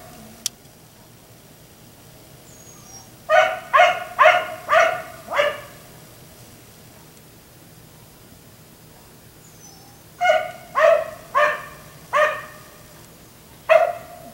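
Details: A black Labrador retriever, left outside until 1am, gives two bursts of sharp, mid-pitched barks in quick succession, with a quiet pause between; a neighbour's dog barking at night.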